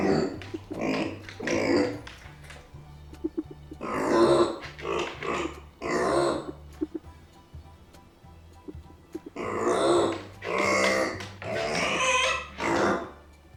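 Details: A pet micro pig kept indoors behind a fence, voicing discontent and anger after being left behind by its owners: bursts of harsh, raspy squeals and grunts in irregular clusters, with a steady low hum underneath.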